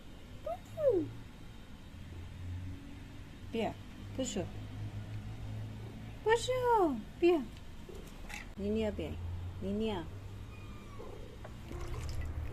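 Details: Mother cat visiting a yard with her three kittens while fed milk: a series of arched, harmonic meows spread across the recording, some in quick pairs, with a person speaking quietly in between.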